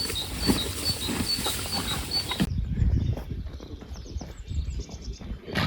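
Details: Horses munching hay, fed until the grass improves: crunchy chewing and rustling, with repeated high bird chirps early on. After an abrupt cut the chewing continues, quieter and more muffled.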